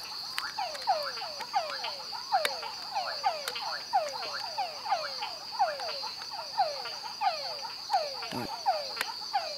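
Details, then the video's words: Yellow tree frogs (Dendropsophus microcephalus) in Santa Rosa National Park, Costa Rica, in 2013, call in a chorus of short, sweeping notes over a steady high whine. "Dendripsophus microcephalus with calls (Yellow tree frog)"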